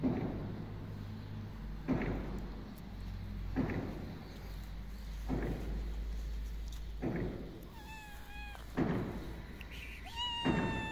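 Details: A tuxedo street cat, happy each time she sees the person feeding her, gives a few short, soft meows near the end, slightly falling in pitch, over repeated thumps and steady low background hum.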